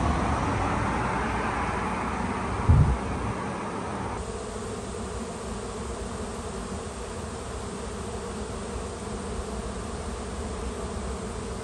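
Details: A returning swarm of bees in a large tree outside a home, recorded on a phone: a dense, steady low humming drone that fills the whole recording, with a brief thump near the start.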